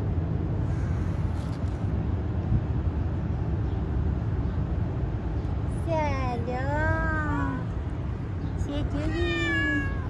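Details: A three-legged stray cat on a city street, being petted, gives two drawn-out harmonic meows in the second half, the first bending down then up, the second falling; steady traffic rumble and a person's soft voice throughout.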